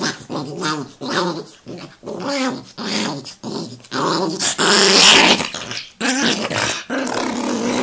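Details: Chihuahua, described as angry, giving a run of harsh growls broken into short bursts, some sharper and hissing, with brief whimpering tones between them.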